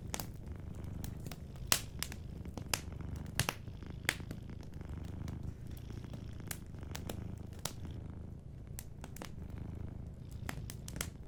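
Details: A sleeping cat purring softly beside a fireplace: a steady low rumbling throb runs throughout, broken by frequent sharp crackles and pops from the fire.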